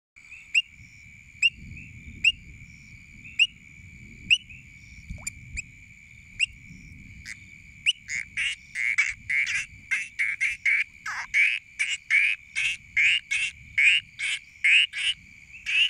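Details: Two painted reed frogs (Hyperolius marmoratus) call to a potential mate with sharp, high whistled chirps, repeated steadily and then quickening into a rapid series.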